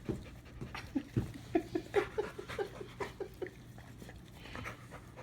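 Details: Two dogs, a stray Pitbull and a household dog, licking and nuzzling each other affectionately on first meeting; quick breathy pants in a rhythmic series of about two per second, with a low steady hum underneath.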